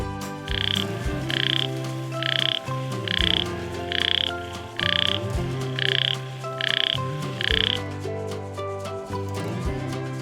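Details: Frog croaking in a children's English and Hindi animal sounds lesson: short, bright, even croaks repeated about every three quarters of a second, nine in a row, over continuous background music.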